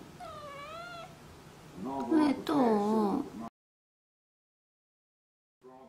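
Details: Pet cat meowing indoors as if nagging its owner to stop watching TV: a wavering, drawn-out meow, then a louder, longer, rising-and-falling meow, followed by near silence and a faint sound at the end.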